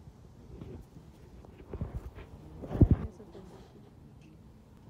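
A French Bulldog gives a few short, rough snorts, with low human voices in the background.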